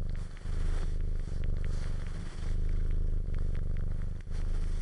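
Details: A domestic cat purrs in a deep, steady rumble, broken now and then by brief pauses and soft clicks, with suckling sounds.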